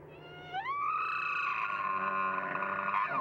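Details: Bull elk bugling during the mating season: a tone swoops sharply upward into a loud, high, harmonic-rich whistle held steady for about two and a half seconds, wavering slightly before breaking off at the end.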